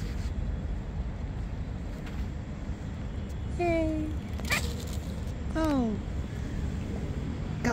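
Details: Hungry stray cats of various colours gathered in a yard waiting to be fed; two clear meows, the first level and drawn out, the second falling in pitch, over steady low traffic-like rumble and a brief rustle.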